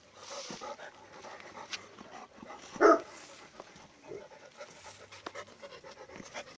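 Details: Tibetan Mastiff dog panting in quick, steady breathy puffs, with one short louder vocal burst midway and soft background noise.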